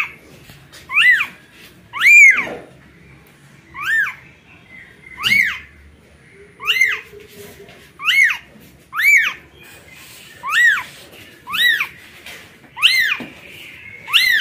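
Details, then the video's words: A newborn kitten cries out for its mother cat, giving a long series of sharp, arching mews, about one per second with brief gaps, plus faint background rustling and a soft click. "Newborn kitten calling for mother cat"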